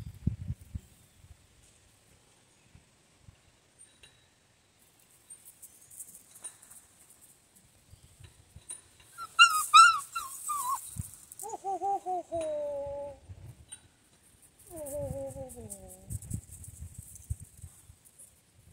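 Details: Central Asian Shepherd (alabai) puppy that likes to talk, giving a series of high, wavering, descending whines in three bouts, the later ones lower and drawn out, with faint chirping in the background.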